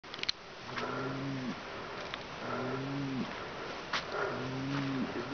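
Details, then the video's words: Bull in the Kaçkar highland pastures (yayla) giving three deep, drawn-out bellows, each about a second long and spaced roughly every second and a half, over a faint outdoor background. "mecovit boğa sesleri"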